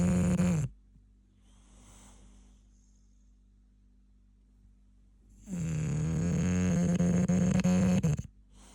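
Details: Asleep, an English bulldog gives two drawn-out, rattling snores about five seconds apart, each a deep steady drone, with soft faint breathing in the quiet gap between them.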